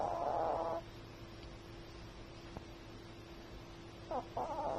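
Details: A Chihuahua snores in its sleep. A buzzy, whistling snore fades out, then comes a quiet stretch with a faint click. A short catch and a fresh raspy snore follow, all over a constant low room hum.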